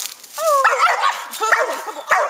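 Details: Young dog named Gator treeing a raccoon up a tree, barking at it for the first time; drawn-out, tonal howling barks, with a man urging him on in the background.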